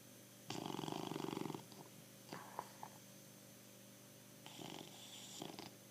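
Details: Bulldog Pancho asleep and snoring: a strong vibrating rasp of about a second, soft snuffles, then a weaker snore toward the end, over a faint steady hum.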